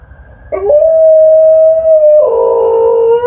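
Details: Relaxed Alaskan Malamute howling while lying down: a sudden onset becomes a long, level, sustained tone. It shifts to a rougher, richer, slightly lower note toward the end.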